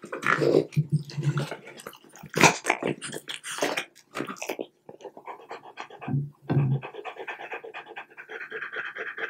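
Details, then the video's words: French Bulldog snacking on cubes of plain boiled chicken breast, heard at very close range; loud crunchy chewing clicks and lip smacks dominate, giving way to steady fast panting near the end. "French Bulldog Eating Chicken Bites"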